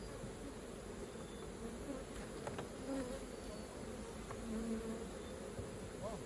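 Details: Massed honey bee wingbeats at an open hive during honey extraction, a thick steady hum with faint rising whines of passing bees and light scraping of tools.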